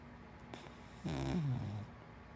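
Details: A single long snore comes from Hana, a big black wienerdog–black Lab mix, deep in sleep. It is a deep, buzzing rumble whose pitch slides gently downward over nearly a second, surrounded by near silence.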